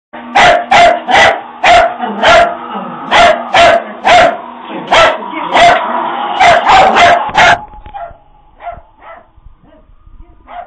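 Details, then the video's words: Puppies frightened by a Halloween prop bark in a rapid, irregular volley of sharp yaps, about two per second, then trail off into scattered softer yips after eight seconds. "Puppies scared of Halloween prop"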